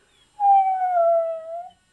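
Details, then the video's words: Husky dog "talking", said to want his mommy, gives one sustained, smooth howl-like moan that slides gently downward and lifts at the end, with clear harmonic overtones and a quiet room around it. "Husky Talking Dog"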